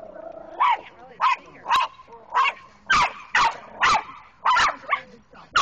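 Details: Small Chihuahua fearlessly confronting two bigger dogs: a rapid string of sharp, high yapping barks, about nine in under six seconds at uneven intervals, with a brief human voice at the start.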